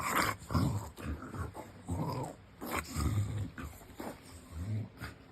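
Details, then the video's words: English Bulldog lying on his back indoors, making funny pig-like noises: low snorting grunts and rumbling growls in irregular bursts, with a person talking softly in the background. "Bulldog Lay On His Back And Makes Funny Noises"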